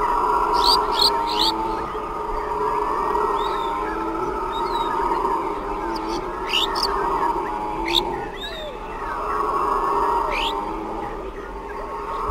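Howler monkeys roar in a deep, droning chorus that swells and fades, with birds chirping overhead.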